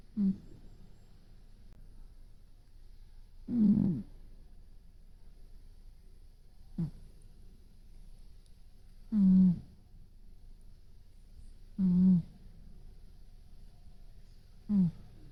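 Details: Brown tabby housecat sleeping with its eyes open gives a steady series of six low, buzzy snores, about one every three seconds, varying in strength. Otherwise the room is quiet.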